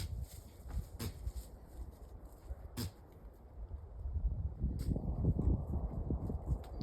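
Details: Young deer with the sniffles, one of a wild family visiting a backyard in Northern Arizona, giving sharp, breathy sneezes near one, three and five seconds over low rumbling background noise.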